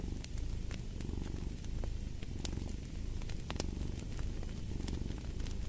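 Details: Domestic cat purring steadily, a low rumbling drone that swells and eases with each breath, while a fireplace pops and crackles with sharp snaps throughout.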